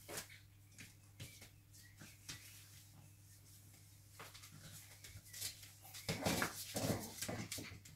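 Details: Five-week-old Cavalier King Charles Spaniel puppies at a kennel, indoors in a small room: thin, high whines drift faintly through the first seconds, then louder squeaky whimpers cluster near the end, over soft thumps and scuffling.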